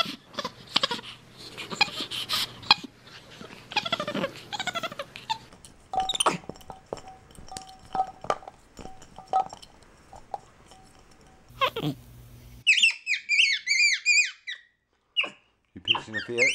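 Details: MonkeyBoo, a pet capuchin monkey indoors, talking with his owner: after a stretch of mixed, muffled room noise, a burst of high, bent, chirping calls rises and falls quickly in clustered runs near the end.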